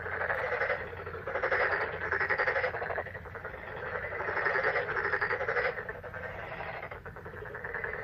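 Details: Many frogs croaking together in May, a thick pulsing chorus of rattling calls rising and falling in loudness every second or two, with a faint constant low hum beneath.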